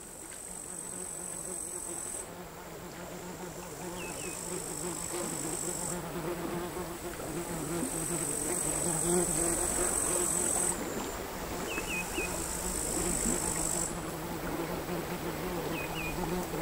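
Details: Crickets singing on a sand hill near the sea at Altja, Estonia, in August 2022, captured with LOM Uši Pro microphones and a MixPre III recorder: a high, steady buzzing trill that switches on and off in long blocks over the low wash of quiet sea waves.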